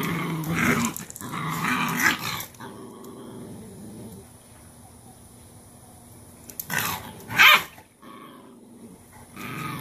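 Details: Cane Corso mother named Cashmere disciplining her most dominant female puppy, pinning her into a submission posture; a low rumbling growl for about two seconds, then quiet, and two sharp bursts near the end.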